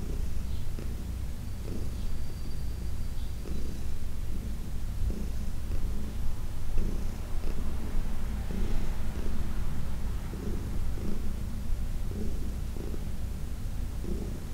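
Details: Heidi, a 14-year-old senior domestic cat adopted from the Humane Society of New York City, purring during a massage: steady low rumbling purr with rhythmic pulses swelling roughly every second, no other sounds.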